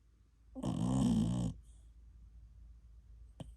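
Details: Ten-month-old American Cocker Spaniel named TuTu snoring in its sleep like an old man, part of an hour-long bout indoors: one loud, rough, droning snore lasting about a second, then quiet breathing and a faint click.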